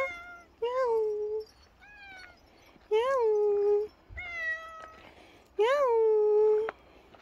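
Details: Domestic cat, billed as the ultimate dog-like cat, meowing indoors. Four clear meows come every one and a half to two and a half seconds, each with a quick upward swoop and then a sustained, slightly falling tone. A few short clicks sound between them.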